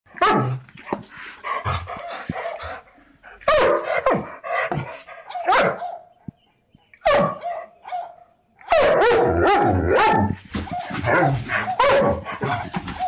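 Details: Several guard dogs bark loudly and aggressively in rapid, overlapping bursts with brief pauses; the recording is mixed with other sounds.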